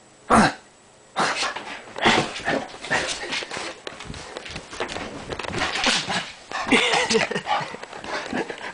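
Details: A Bull Terrier on the attack gives harsh, irregular barks and snarling bursts, with a brief human voice.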